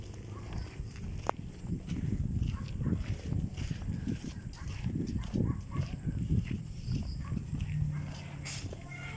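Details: Frogs give deep, rumbling, engine-like croaks likened to racing cars, overlapping in a dense, throbbing low chorus during floods.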